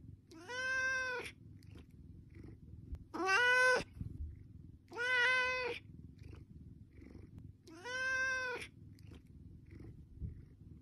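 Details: A domestic cat begging for food meows four times at intervals of roughly two to three seconds, each call loud, drawn-out and richly harmonic, some slightly rising at the start, over a low steady hum.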